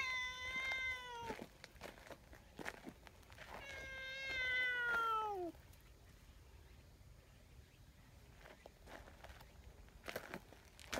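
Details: Pale tabby community cat running over to comfort a large black cat that had just been scolded, outdoors; two drawn-out descending meows around one and four seconds, then clicks and rustling.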